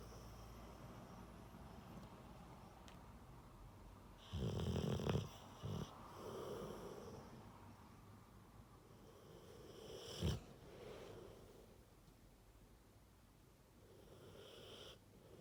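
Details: Rottweiler snoring: one loud, low rasping snore near the 5-second mark, a sharp snort around 10 seconds, and quieter rhythmic breaths throughout a calm indoor setting.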